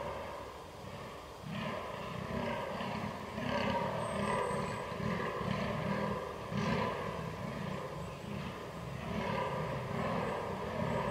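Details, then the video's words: Fallow deer during the rut, 22 October 2022, recorded with a Canon R6: deep, pulsing belch-like groans repeated in rapid series of roughly one per second, with steady low background rumble throughout. "DAŇČÍ ŘÍJE / FALLOW DEER RUT"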